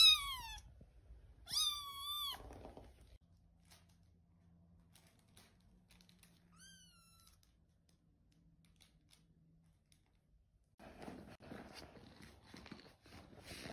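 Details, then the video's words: Kitten named Muffin, a tiny, needy, high-maintenance pet wanting attention, meowing indoors: three high, whiny mews with harmonic stacks, the first two close together, the third softer and arching, followed by quiet and then rustling handling noise. "Daily struggles of the tiniest, whiniest, neediest lil kitten named Muffin"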